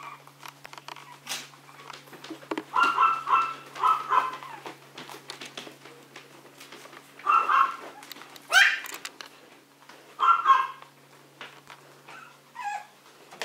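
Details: Small Maltese or Yorkshire terrier pups in daily play: bursts of shrill, rapid barking come in short clusters separated by quieter gaps filled with soft thumps and rustling.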